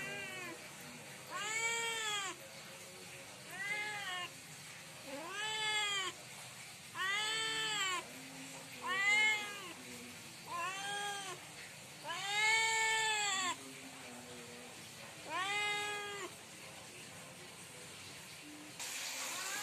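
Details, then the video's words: Cat calling loudly at night to ask for food, repeating arched meows that rise and fall, about nine of them at irregular intervals of one to two seconds, with a quiet room between calls. "Cat Meowing loud at night asking for food"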